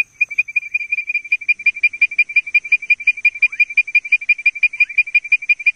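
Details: Rapid, regular advertisement calling of Leptodactylus mystacinus: after a short silent start, sharp whistled pips come about three each second without a break, a couple of faint swooping notes mixed in, over a steady high-pitched hum.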